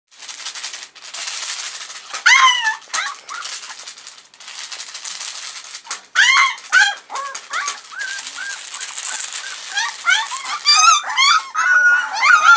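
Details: Alaskan Malamute puppies, three weeks old, just coming to life: a scatter of thin, high, wavering whimpers and squeaks, several overlapping in short bursts, with a steady hiss and rustling between calls.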